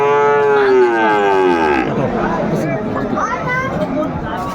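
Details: Sahiwal calf at a busy cattle market in Noakhali, Bangladesh; a long, slightly falling moo opens the recording and fades after almost two seconds, followed by constant crowd noise and talking.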